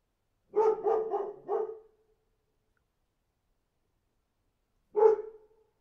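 A dog barks in a quick run of four harsh woofs, then gives one more after a pause.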